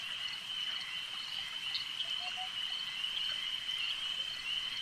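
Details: A lake chorus of frogs: a seamless high buzzing trill that holds even in volume, and a soft low note appears briefly just after two seconds.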